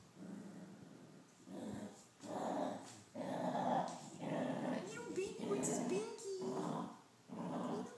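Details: A male dachshund growls in rough, rumbling bursts about once a second, guarding his treats from his owner; angry dachshund.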